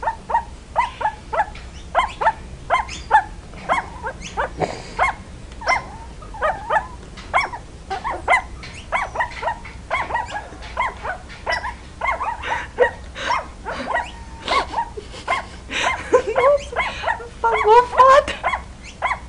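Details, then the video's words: Puppies learning to bark give rapid, high yappy barks, repeated almost nonstop and sometimes overlapping, ending in a squeaky, whining yelp near the close. "Puppies Barking - Cute Puppies Barking Compilation"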